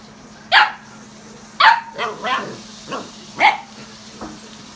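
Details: German Shepherd named Odin on a visit to Samson's house barks repeatedly, loud sharp barks mixed with softer lower woofs at irregular intervals, roughly one per second, over a constant low background hum.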